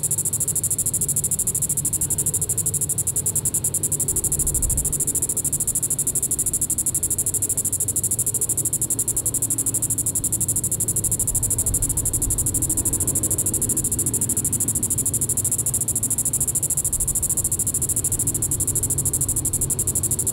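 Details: A Diceroprocta vitripennis cicada sings its evening call, Sand Hills State Park, Reno County, Kansas, July 20, 2014. A shrill, evenly pulsed buzz holds for the full stretch without pause, with faint low rumbling beneath.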